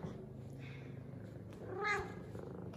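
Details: An F2 Savannah cat, female, purrs steadily, then gives one short, rising-and-falling meow amid excited meows, purrs and headbutts while greeted by her owner.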